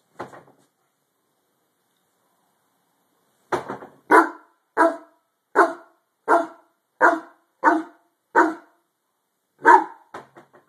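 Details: Harlequin Great Dane indoors barking at something under the bed: after a brief opening sound and three seconds of quiet, a run of about ten deep, harsh barks spaced roughly every three-quarters of a second, the last few quicker and softer.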